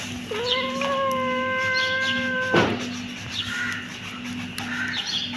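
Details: Kitten giving one long, steady meow of about two seconds that holds a level pitch, then stops abruptly. Faint chirps sound in the background over a constant low hum.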